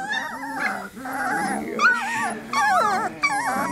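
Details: Several 3-week-old Lab puppies whimper and whine together in an overlapping cacophony of wavering, squeaky cries, about one or two per second, before settling back to sleep.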